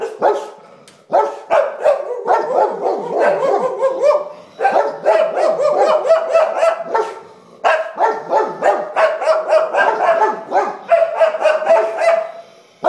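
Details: English Springer Spaniels (three dogs) bark in rapid, excited bursts of several sharp barks a second, alarmed by a sponge on a table they took for something very bad.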